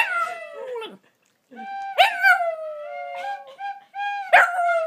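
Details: One-eyed eight-year-old Shih Tzu howling as it sings along to a flute. The howls are long, tonal and wavering, each starting with a sharp rise and then sliding gently. They come in three drawn-out phrases separated by brief silences.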